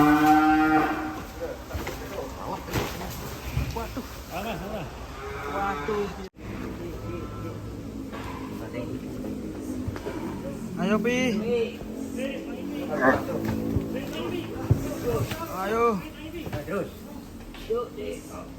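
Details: Raging cow that escaped its pen and got stuck in sucking mud; a loud harmonic bellow opens, followed by repeated strained, wavering moos of varying pitch over background noise.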